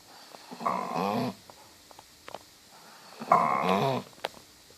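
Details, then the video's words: Dog snoring in a cow-like way. Two drawn-out, harsh, rattling snores roughly two seconds apart, each with a wavering throaty buzz, separated by soft breathing and small clicks. "Dog is snoring like so a cow."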